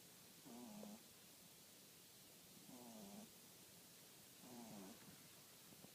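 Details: A French Bulldog snoring softly: three drawn-out breaths roughly every two seconds, each with a low, slightly falling nasal whine, over a steady hiss.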